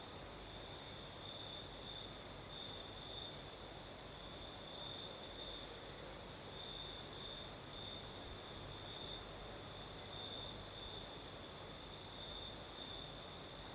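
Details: Night chorus of crickets in southern Crimea, a night breeze blowing: continuous shrill trilling with pulsed bright tones that swell and fade in waves, a soft airy hiss and faint low rumble underneath.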